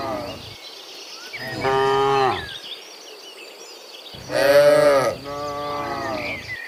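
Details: Dozens of cows walking home from the fields to the pen in the afternoon give long, deep moos, rich in harmonics, one after another over a soft outdoor background.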